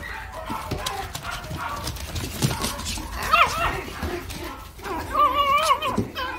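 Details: Toy Poodle giving high, wavering whines rich in overtones: a short rising-then-falling cry midway, then a longer sustained whine near the end, over steady rustling and handling noise.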